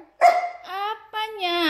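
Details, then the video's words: Akyro, a Samoyed dog, reluctant to chat when spoken to, gives drawn-out tonal whines: a sharp yelp-like onset, then sliding, held howling notes that rise and fall, one after another. "Akyro lagi malas di ajak ngobrol"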